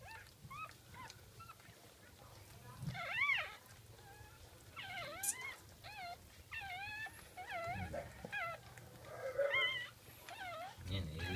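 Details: Whimpering during a Jack Russell Terrier's second birth, early morning of 17 October 2014: repeated high, wavering squeals and rising-falling whines in irregular bursts, with soft human voices and low rumbling in the background.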